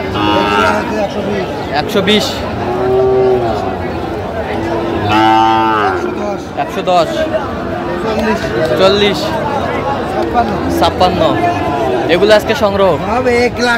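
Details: Sahiwal bull at a cattle market, bought by a farmer from Narsingdi, Bangladesh, on 28 July 2025: a long, low, harmonic-rich moo midway, with a shorter lowing earlier, while men talk in Bengali throughout.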